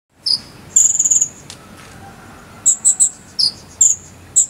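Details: Cricket chirping, offered as a tutor sound for teaching a konin bird to sing: very high, sharp chirps, some short single notes and one rapid pulsed burst of about six beats, spaced irregularly over a faint steady hiss.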